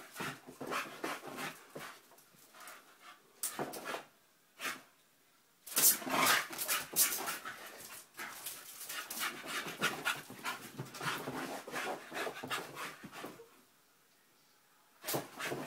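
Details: Honey, a nine-month-old Staffordshire bull terrier puppy, plays with sellotape indoors: quick, irregular breathy panting and snuffling bursts, mixed with crackling tape, with short quiet pauses between spells of activity.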